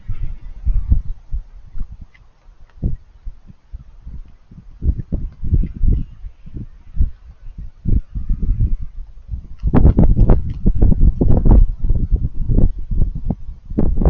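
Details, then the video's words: Raccoon chewing food. Loud, rapid crunching fills the clip with dense low bursts several times a second, heaviest in the second half. "Raccoons Eating & Being Cute - Cute Lil Crunchy Noises While It Eats"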